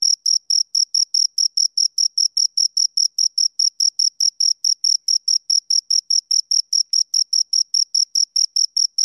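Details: Shrill, metronomic cricket chirps from two insects, short high pulses packed at about four per second, uniform in loudness with a weaker overtone above, nothing else audible.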